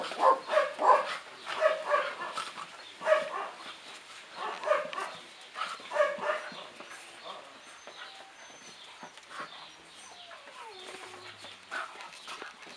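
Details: Nózi and Vidra, a pair of dogs at play, give quick, bright barking yips in clustered bursts over the first six seconds, then fade to softer scattered sounds and quiet rustling.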